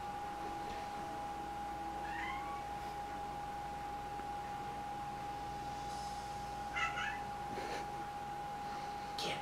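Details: Dexter, a male pet cat playing peek-a-boo indoors, gives two short rising chirp-like meows several seconds apart, with soft knocks and rustles and a steady low electrical hum throughout.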